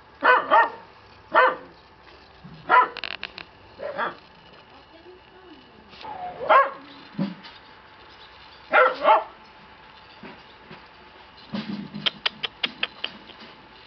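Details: At a Shiba breeding kennel, a male black Shiba Inu puppy barks in repeated doubled yaps every second or two, with a softer whine between them and light tapping and clicking toward the end.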